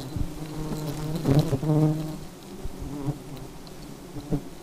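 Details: Very aggressive honey bees, a steady low hum that swells into a loud, rich buzz around the middle as a bee flies close, then fades back with light tapping sounds.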